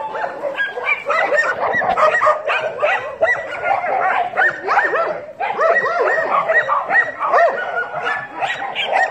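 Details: Dogs in a group barking and yipping at once: a dense, continuous chorus of high, overlapping yelps and short barks, with a brief dip just past the midpoint before the clamour resumes.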